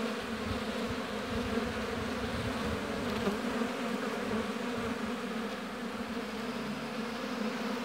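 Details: Busy honey bees at an apiary hive make a thick, even buzzing drone, a constant layered hum that holds steady for the whole stretch without pauses.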